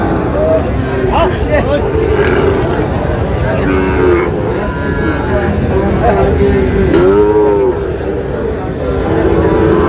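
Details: Sahiwal cattle at a busy cattle market in Chattogram, Bangladesh, where bull calves are sold; a low, drawn-out moo rises and falls amid constant crowd chatter, haggling voices and traffic noise.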